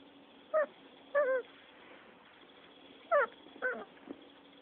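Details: Six-week-old Rottweiler puppies fighting and playing: four short, high, whimpering yelps that bend up and down in pitch, arriving in two pairs about two seconds apart over a faint steady hum.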